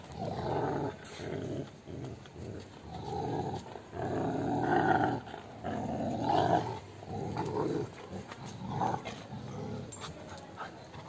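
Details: Rottweiler growling during rope fight play, low rough growls in uneven bursts about forty a minute, with a person calling to the dog in Arabic.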